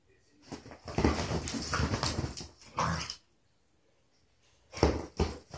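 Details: Indoors on a couch, rescue beagles Lucky and Mitzi play together. Throaty, grumbling growls swell for about two seconds, then a shorter growl follows. After a quiet gap, one last sharp gruff burst is heard.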